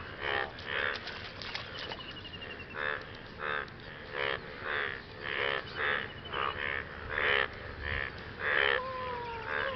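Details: After rain, frogs call to partners in a chorus of short, rasping harmonic croaks repeated about once a second, with a faint falling whistle near the end.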